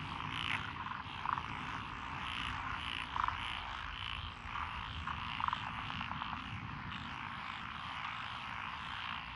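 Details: A chorus of frogs in lotus rice paddies along a rural road in Echizen, Fukui, Japan, on 12 June 2021. Rattling, overlapping croaks swell in waves, with a few sharper notes standing out, over a steady low rumble.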